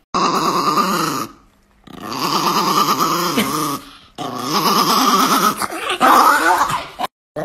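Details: Chihuahua named Niki, indoors, giving rough, throaty growling vocalizations in three sustained stretches of one to two seconds each, separated by brief pauses, with a rumbling, wavering tone.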